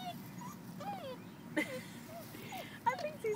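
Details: Pup crying beside a culvert it is eager to poke its head into, giving many short wavering, whistled whines that bend up and down, mixed with human voices and a few sharp knocks.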